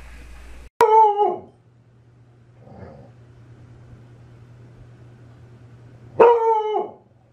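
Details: A dog from a funny dog compilation gives two drawn-out, wavering howl-barks about five seconds apart, quiet between them apart from a steady low hum.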